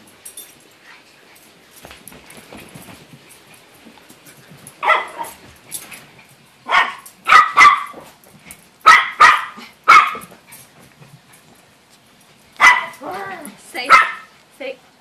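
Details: Dog named Sonya during play, giving short, sharp barks and yips in bursts, a few singly and others in quick clusters of two or three, with quieter pauses between them indoors.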